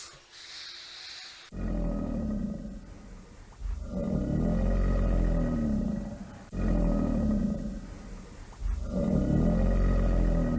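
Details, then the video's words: A brief burst of hissy noise, then an alligator's deep, rolling roars rise and fall in repeated waves about every two to three seconds, a continuous low rumble underneath. "Som de Jacaré"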